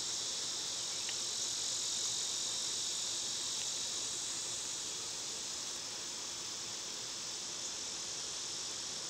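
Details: A summer cicada chorus, loud at this time of year, keeps up a dense, continuous high-pitched drone, with a few faint short ticks over the top.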